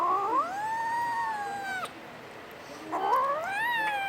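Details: Domestic Short Hair kitten from the Philippines, a Puspin, giving two long plaintive meows, the first rising and holding steady for over a second, the second sliding upward then easing down, with a brief quiet pause between.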